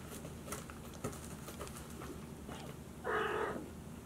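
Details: At a Tokyo cattery, Maine Coon kittens George and Charlotte walk around a room days after first leaving the nesting box. Faint rustles and taps precede one clear, steady mew lasting about half a second.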